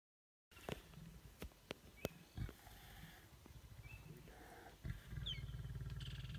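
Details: Lions in a stand-off, growling: low rumbling growls that build into a steady deep throaty rasp near the end, with sharp clicks and birds chirping in the background.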